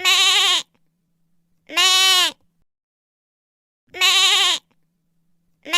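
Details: A lamb gives long, quavering, nasal bleats of about two-thirds of a second each, separated by pauses of one to two seconds, with an otherwise silent background.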